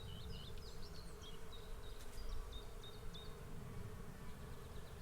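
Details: Droning hum from a bee swarm, steady and even in pitch, beneath a lively string of high, thin bird chirps in the first half that fade out, leaving only the buzz.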